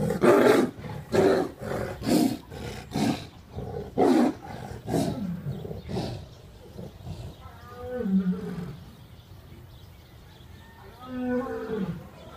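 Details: Tiliger and Bengal tiger fighting at GW Exotic Wildlife Park, Oklahoma: a rapid series of hoarse, explosive roars for several seconds, then fading growls and rumbles, with a few faint whistled tones at the end.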